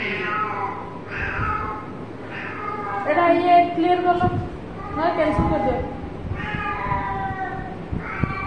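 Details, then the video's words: Playful house cat repeatedly meowing, with about eight rising and falling harmonic mews in eight seconds, overlapping with a person talking and soft music. "My Cute 😍 cat playing with mummy , cat funny video"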